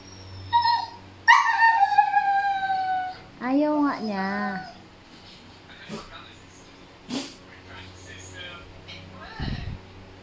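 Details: Noisy male Siberian Husky, worked up because a female is in heat, gives several high, drawn-out whines that slide downward and waver, followed by a wobbling, quavering whine near the middle, then quieter sounds and people's voices.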